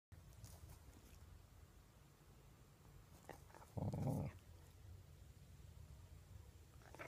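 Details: A pet dog, said to be mad after being called fat, lets out one short, low, rough growl lasting about half a second. Faint steady hiss fills the rest of the recording.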